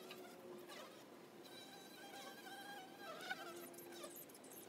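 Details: Low droning hum of honey bees at a hive entrance, with sustained flight tones gliding in and out as individuals pass close, and faint bird chirps in the background.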